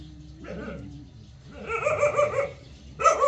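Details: Jindo dog letting out a brief yelp, then a cluster of rapid, harmonic barks in the second half over a low background hum.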